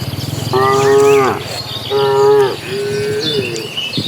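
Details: Two loud, steady moos of under a second each from cattle in a migrating herd bound for green grassland, followed by a softer wavering low, with faint bird chirps behind.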